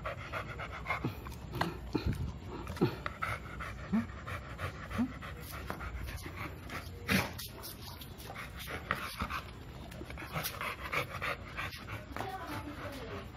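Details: Milo, an American Bully aged two, pants heavily while asking to play; rapid breathy huffs run throughout, broken by a few faint whimpers and small thumps.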